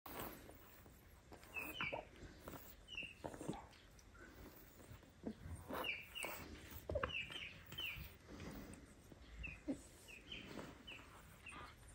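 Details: Tiny kittens mewing while a huge father cat looks after them like a mother would: short, high, thin mews in scattered bursts of two or three, roughly every second or two, over soft rustling and a faint steady hiss.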